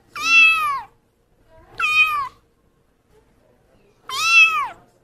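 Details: Pet cat meowing three times at roughly two-second intervals, each call short, bright and strongly harmonic, rising slightly then dipping at the end; otherwise silence.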